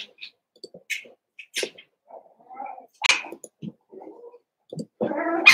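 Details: Seven-week-old Cavalier King Charles Spaniel puppies from Daisy's litter, kept in an indoor puppy pen in the middle of a home; scattered short squeaks and snuffling sounds, then a louder, drawn-out harmonic whine at the end.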